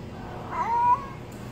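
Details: A single short, fairly low meow from a stray kitten, slightly rising then level, clear against quiet low-frequency hum.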